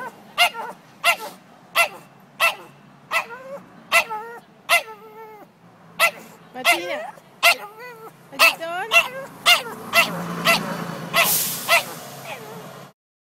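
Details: Small pet dog in a tantrum at carriage horses seen a block away during a Sunday city walk: rapid yapping barks and wavering whines repeated about every half second, growing denser, ending in a loud broadband rush of noise.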